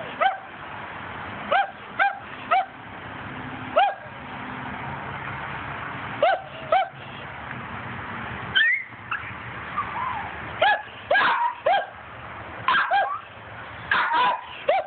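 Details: Squirrel-hunting dog barking in scattered single and paired yaps, some spaced seconds apart, bunching into quicker clusters toward the end, with a continuous low rumble underneath.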